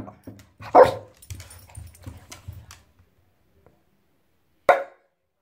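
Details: French Bulldog Pepsi going wild in a bathtub: one loud bark, then a run of low grunts and huffs, a pause, and a single final sharp bark.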